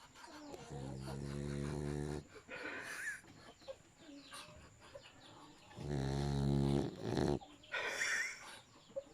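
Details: A dog snoring: two long, low, buzzy rumbling snores about five seconds apart, with softer breathy sounds between them.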